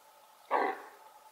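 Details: Female red deer giving her alarm signal, a sound likened to the bark of a large dog: one short, harsh, hoarse bark lasting about a quarter second, standing out clearly against a faint steady hum.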